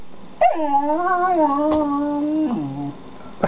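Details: A pet dog, one of the pair Gwenny and Rhett, lets out a single sustained whining howl that jumps up sharply, holds nearly level, then drops in a step before fading, with a quiet background.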